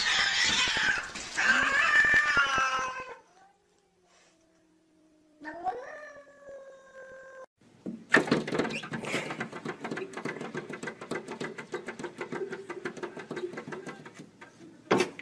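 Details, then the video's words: Domestic cats fighting through glass: a loud harsh screeching yowl at the start, then a quieter wavering harmonic wail that fades, followed by a dense rapid scratching and thumping clatter with a sharp burst at the end. "Funny Cats Fighting Through Glass"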